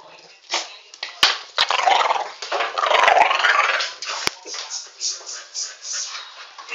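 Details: Alfie the dog teaching a new pup; gruff growling peaks mid-clip, then gives way to quick, uneven yappy bursts several times a second, with sharp clicks scattered through.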